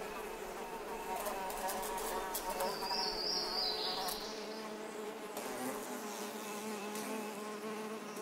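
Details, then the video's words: Bluebottle fly buzzing: a steady, wavering drone rich in stacked tones that rises and falls slightly in pitch, with a brief shrill whine near the middle and faint clicks throughout. "Tiny Tunes #11: Bluebottle Fly"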